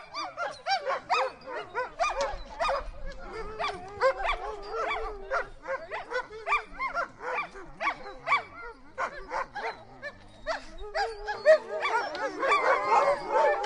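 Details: Siberian husky giving a quick string of short barks and yelps, roughly two a second, irregularly spaced, with a louder, whinier outburst near the end.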